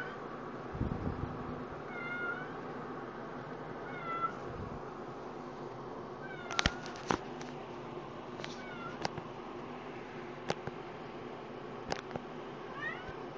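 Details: A two-year-old female cat with CH, lying for the first time on the bed with a favourite afghan, gives several soft, short, upward-curving meows spaced a few seconds apart, with occasional clicks and knocks in a quiet room.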